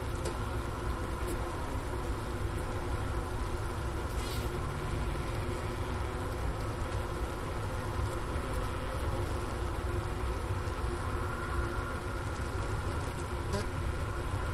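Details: Wintering honey bees inside their hive, Ohio State University Wooster campus, January 16, 2024, near 4 PM, 15°F outdoors. A Sony ICD-PX370 was placed at the inner-cover hole beside a sugar brick. The murmuring drone is unbroken, with a few faint clicks.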